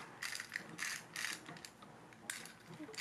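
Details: Rapid ratcheting clicks from a toy mechanism in several short bursts, and no animal voice heard.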